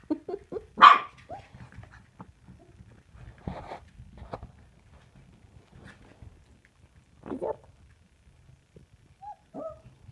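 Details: Samoyed puppies indoors, giving short high yelping barks in a scattered burst near the start, then a few isolated yips and squeaks with quiet pauses between.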